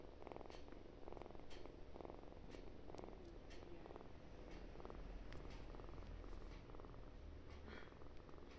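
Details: Kitten purring loudly: a continuous low rumbling purr throughout, pulsing in steady in-and-out breaths about every half second, with faint clicking sounds on top in a quiet indoor setting.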